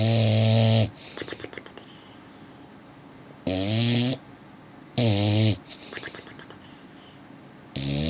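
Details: Sleeping English Bulldog snores in deep, rasping bursts under a second long, some sliding slightly in pitch, coming at uneven gaps of one to three seconds, with soft snuffling breaths between them in a small quiet room.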